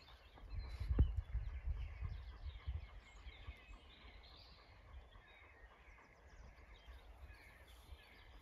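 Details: Zwartbles sheep LittleBit grazing on pasture for a farm soundscape called the Soil's Song. A burst of rapid, low crunching bites in the first three seconds, then quieter chewing, while birds sing faintly in the distance.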